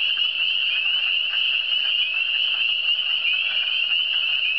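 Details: Frogs of the Eastern Townships calling together, a thick overlapping mass of high, quick, rising peeps forming a steady shrill wash of sound with no other noises.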